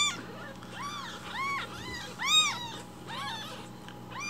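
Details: Newborn rescued kittens demanding breakfast milk in the morning with loud cries; quick arched mews repeated about twice a second, some overlapping, with a low background hum.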